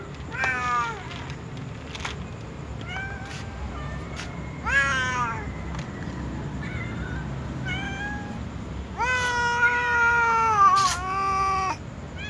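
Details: Tom cat and white cat among other cats asking to be fed, giving loud drawn-out harmonic meows that fall in pitch, several overlapping near the end, over low rumbling background noise and occasional sharp clicks.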